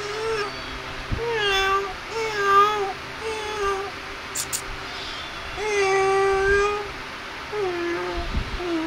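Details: Playing, feeding kittens mew repeatedly, drawn-out plaintive notes with rich overtones, some rising then falling, one longer cry near the middle, over a constant low electrical hum and faint background noise.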